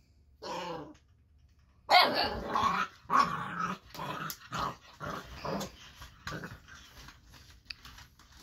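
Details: Eight-week-old Boxer puppy reacting to the lights, sounds and movement of an interactive robot toy: a rough growl, then a burst of harsh growling barks and grumbles fading into softer growls.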